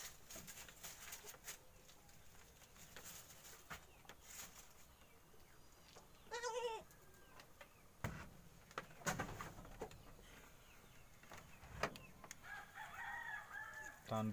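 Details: Goat kid, near its mother, learning to stand, gives a brief quavering bleat midway. A fainter harmonic call follows near the end, amid rustling, knocks and a man talking in Indonesian about the mother's curved horns.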